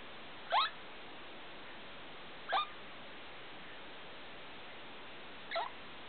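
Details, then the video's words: Pet degu calling indoors at 2 o'clock at night with the room light on: three short, sharp sweeping chirps, each spanning a wide pitch range, spaced two to three seconds apart over a steady background hiss. "(degu) making strange sounds in the night"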